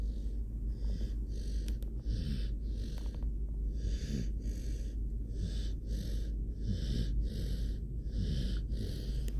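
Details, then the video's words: Dog snoring, male, napping after two hours of puppy play; soft wheezy breaths repeat quickly, roughly every 0.7 seconds, each a breathy hiss over a low rumble, with steady quiet background noise. "now its nap time with dog snoring"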